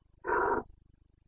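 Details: Red deer stag of the Carpathians, Bucovina, rutting in late September 2022: one short, harsh, loud bellow lasting under half a second, rough and throaty, with a faint rhythmic low hum before and after.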